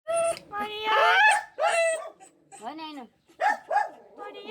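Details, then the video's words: Female stray dog crying on seeing the human who protected her; high whining and yelping whimpers rising and falling in short bursts, mixed with a person's voice close by indoors. "Stray Dog Was Crying After Seeing Her Protected Human"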